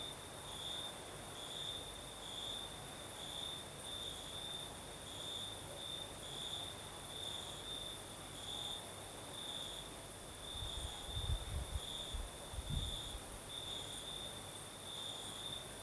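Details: Night chorus of crickets in southern Crimea under a night breeze, a continuous high pulsed trill with rhythmic beats about every second, faint low thumps near the end.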